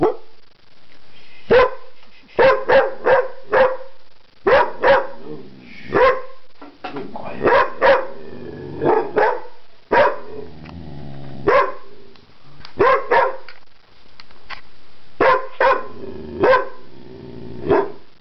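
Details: Domestic dog making strange noises while attempting to communicate: irregular bursts of short, sharp, yelping barks and whiny yips, often in quick pairs or threes, separated by brief pauses, indoors with nothing else clearly heard.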